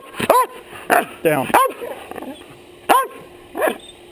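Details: Dog barking in the face of a person wearing a chest-mounted action camera; irregular loud barks, about six, mixed with a brief human voice in the middle.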